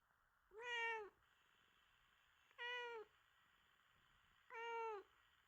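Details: Affectionate, clingy pet cat indoors giving three clear tonal meows, each about half a second long with a slight downward bend, spaced roughly two seconds apart against a quiet room background.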